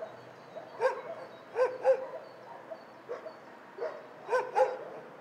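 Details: Dogs at a dog shelter, many animals barking in the background: short sharp barks in pairs and singles spread over a few seconds, with a steady low hum of the kennel behind them.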